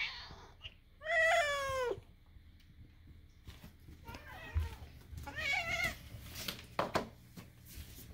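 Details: House cat voicing strange calls next to another resident cat: one loud, falling meow early on, a softer bent meow later, with quiet human talking and small clicks between them.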